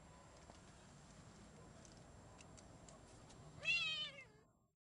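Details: A chocolate silver Ocicat kitten, four months old, outside on a harness and leash, gives one drawn-out meow with a falling tail near the end. Before it there is only a quiet outdoor background with faint ticking.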